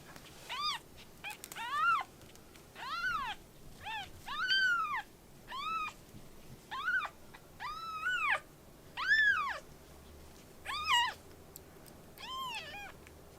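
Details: Rescued kittens in a volunteer group's care, learning to eat, use the litter box and get used to people, give about ten loud, clear meows. Each one rises and falls, and they come roughly every second with short gaps between.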